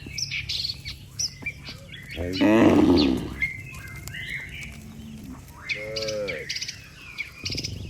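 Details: Tame cattle, one of a herd of dozens walking calmly back to the barn after a day on the pasture, give a single drawn-out moo lasting about a second, while small birds chirp and twitter throughout.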